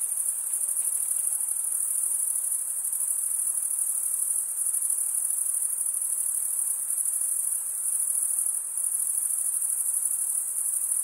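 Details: Unbroken high, shrill trilling from many crickets, an even pulsing wall of sound with only slight dips in volume and nothing else audible.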